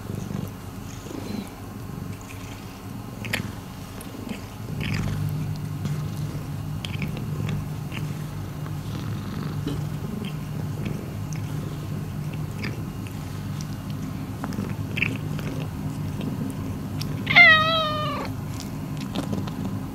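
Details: Miiko, a rescued house cat, purrs in a low pulsing rumble that strengthens after a few seconds; near the end a short rising-and-falling meow breaks in, with light rustles throughout.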